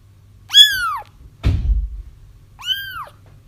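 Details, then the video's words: Kittens crying to help trap their feral mother: two clear, arched harmonic mews about two seconds apart, with a dull thump between them and a low background hum. "30 minutes of Kittens Crying"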